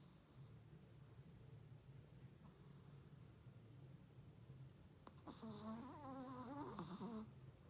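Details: Chihuahua named Funtik snoring comically with its tongue out of control; a low, even rumbling purr-like snore, then near the end a higher wavering whine-like tone over the rumble.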